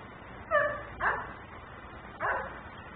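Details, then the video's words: Dog left outside barking persistently as a neighbourhood nuisance, caught on a security camera: three short, sharp barks spaced about half a second to a second apart over a steady background hum. "Barking dog no one hears.......but me"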